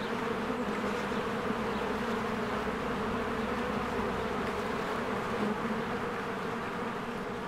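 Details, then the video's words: Spring beehive with swarms of honeybees flying to and from the hive as flowers bloom, recorded on a Canon EOS R; a thick, steady buzz of countless wings that holds at an even level throughout. "1 Hour of a Beehive ASMR"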